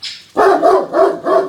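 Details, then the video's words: A Great Dane on patrol in a backyard gives four quick, full-throated barks after hearing a neighbour's dog. "Neighbor Dog Is Surprised To Hear Great Danes Barking Not Chihuahuas"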